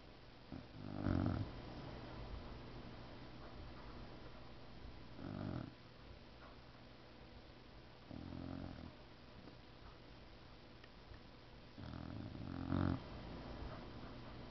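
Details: Sleeping Boxer dog snoring indoors, four deep rasping snores spaced roughly every three to four seconds, each a low rumbling grind lasting under a second, with quiet steady hum between them.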